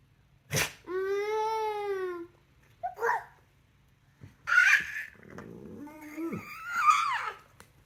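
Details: A rescue pit bull singing along gives a long, wavering howl, then shorter yowls, with a brief sneeze between.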